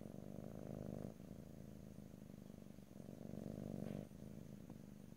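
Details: Domestic cat purring, recorded in stereo close to the microphone with no talking: a steady low rumbling throb that swells and fades with each breath, with brief quieter gaps near one and four seconds.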